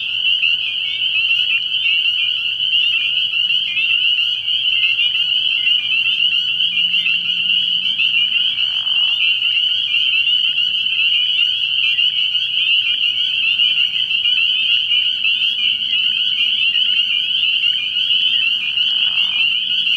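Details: Many spring peepers at a night-time frog pond in early spring, their high piping notes piling up into a continuous shrill chorus that never pauses, joined by two short lower swishes.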